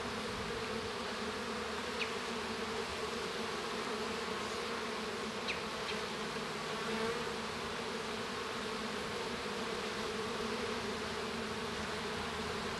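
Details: Continuous humming of a honey bee colony inside the hive during a baby bee's hatching; even, unbroken drone with steady low bands and a few brief faint clicks.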